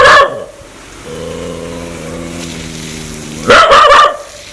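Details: Aggressive dog wanting to bite people: a sustained low rumbling growl lasting over two seconds, framed by loud harsh barks at the start and end.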